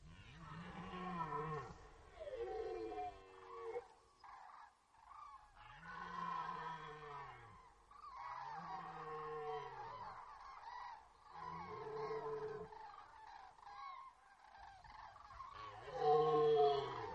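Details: Red deer roaring in the rut at Poland's Orzysz military range, archival audio: deep, rough bellows in a series of about six bursts, some arching downward in pitch, growing louder toward the end.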